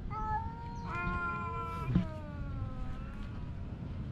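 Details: Domestic cat meowing while fighting with its mate: a sustained, steady-pitched meow with a sharp click partway, then a fainter drawn-out tail, over constant low background rumble.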